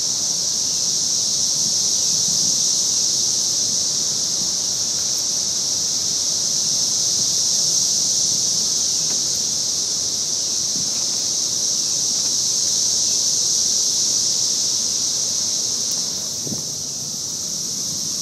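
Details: Very loud cicadas chorusing on May 23rd in Nashville, Tennessee: a continuous, unbroken high-pitched droning buzz that holds steady throughout, with faint rustling and a few soft knocks in the background.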